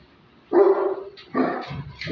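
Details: Great Dane barking during attack and guard training: two deep, loud, rough barks about a second apart, with a third starting at the end, each a short harsh burst.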